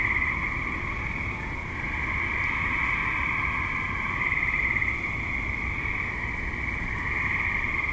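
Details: Tree frogs active in a suburb at dusk and night give a steady, shimmering chorus of rapid trills, many callers overlapping with irregular pulses, over faint distant low rumble.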